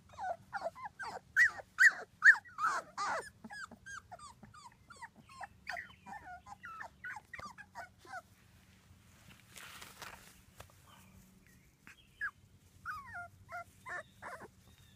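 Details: Two-week-old British Labrador Retriever puppies from a litter of six, squealing and whimpering indoors: rapid high squeaky yelps repeated in quick bursts, loudest early, then scattered softer cries with a brief rustle in between.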